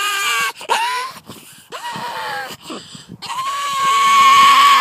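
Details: Pug barking at two terriers on the driveway, giving odd squealing, howl-like barks that slide in pitch, ending in a long sustained wailing cry.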